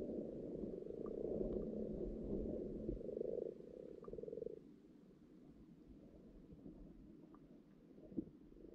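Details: Many frogs croak together underwater in a pond where fresh spawn is appearing: a dense, buzzy, purring chorus for the first four seconds, then fading to softer scattered croaks and a brief click near the end.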